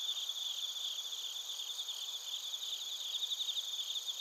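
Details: Several crickets, including bell crickets, singing together in Narita, Chiba, Japan, recorded with a TASCAM Portacapture X8; a continuous, high, shimmering trill with faint rapid flickers and no other clear sounds.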